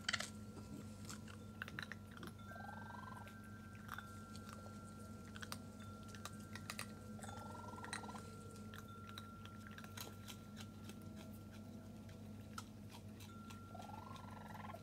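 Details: Raccoon kits visiting with their mother Tantail for the first time, 22 June 2022, give three short wavering chirp bursts spaced several seconds apart, over steady crunching and chewing clicks and a constant low electrical hum.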